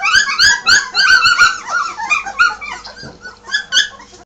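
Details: Bergamasco Shepherd puppies indoors after being moved to a puppy room: a dense chorus of high, overlapping whines and yips, bright and harmonic, following each other rapidly, with a faint steady hum underneath.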